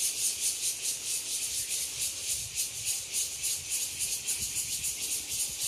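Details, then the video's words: An evening chorus of cicadas in Nangang Park, Taipei, Taiwan, fills the air with a dense, high, pulsing buzz. "Volume up!Evening cicada chorus in Nangang Park, Taipei 🇹🇼"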